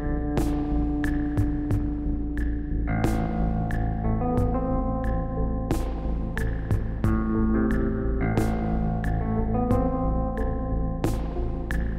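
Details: Ambient synthesizer music with a deep droning hum and sharp rhythmic percussive hits runs throughout.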